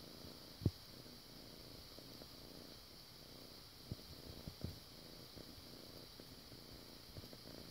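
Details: Low, even purring from Bartok, a foster kitten kneading the air in a so-called air biscuits motion; the faint rumble runs continuously, broken by a sharp tap near the start and a few soft knocks.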